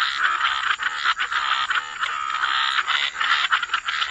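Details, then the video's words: Dense chorus of frogs in wetlands, croaks overlapping into a near-continuous rattling, buzzy wall of sound with brief pulsing dips, a thin steady high tone in the background. "Frog Lullaby: Relax to the Sound of Croaking Frogs"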